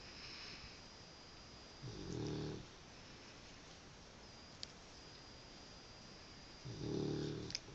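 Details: A sleeping male Cavalier King Charles Spaniel snores in low, rumbling breaths spaced about five seconds apart; his owner suspects sleep apnea.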